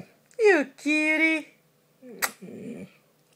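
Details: Pet dog after escaping from under a comforter: a short falling whine, then a steady held howling tone, followed by a sharp click and a brief rough low sound.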